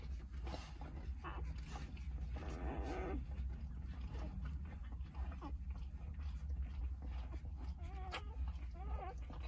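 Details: Five-day-old Jindo puppies from a litter of nine, nursing calmly beside their mother, give soft, high squeaks and whimpers over a steady low rumble.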